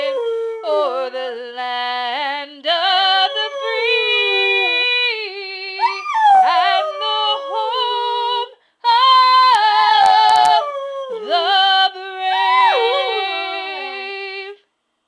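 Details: Sadie, a red border collie mix puppy and a female in heat, howls along indoors as her owner sings a duet with her. Long wavering howls rise and fall, overlapping a woman's singing voice, with a brief pause midway.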